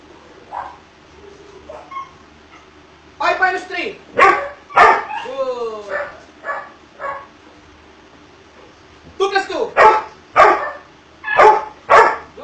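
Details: Doberman Pinscher in obedience training: a faint whimper, then a rapid run of barks mixed with descending whines, a quiet spell, and another steady string of loud barks roughly every half second.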